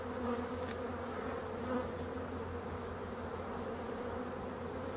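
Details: Abandoned hive of black honey bees being restored: a sustained, many-voiced buzzing hum with a steady low drone, broken by a short knock early on and a few thin, high bird-like chirps.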